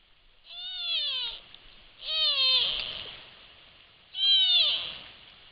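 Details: Sitka black-tailed deer fawn calling its mother close to a trail camera microphone: three loud, nasal, falling bleats, each about a second long, rich in harmonics and spaced about two seconds apart.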